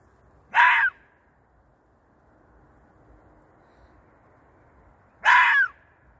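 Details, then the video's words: Fox at night, reportedly seeking a mate, gives two brief rasping screams roughly four and a half seconds apart, separated by near-silence with soft background noise. "Howling Fox call"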